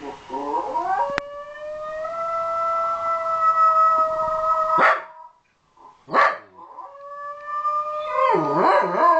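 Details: Miko, a Shetland Sheepdog, joins in howling with playback of himself; a rising onset into a long level howl, a short break with clipped yelps, then another sustained howl ending in wavering notes.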